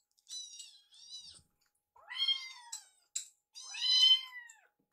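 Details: Foster rescue kittens Piyo and Yuki calling during a meal while Yuki eyes Piyo's food; five high, bright meows in quick succession, the later ones louder and arched in pitch.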